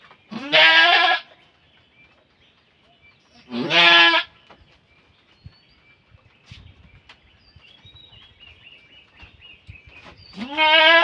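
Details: Goat giving birth, three loud harmonic bleats spaced several seconds apart, each rising then falling, with faint clicks and rustling between the calls.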